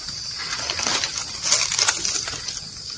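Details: Cows and oxen eating grass: dense rapid crunching and tearing, loudest in the middle of the clip, with a steady high insect-like hum running through the background.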